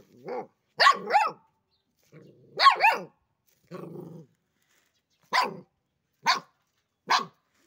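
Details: A black dog barking indoors: short, sharp barks in an uneven series, some doubled, with a low growling rumble between bursts and roughly seven barks in all.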